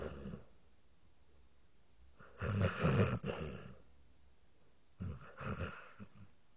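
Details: Frankie Sinatra, a pet dog, snoring while asleep indoors at low volume: a long rasping, breathy snore around three seconds in, then a shorter rough snore near five seconds, separated by quiet.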